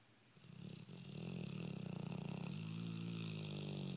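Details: Female Dogue de Bordeaux named Nelly snoring steadily: one continuous, vibrating, low rattling breath swelling over about three and a half seconds in a quiet room.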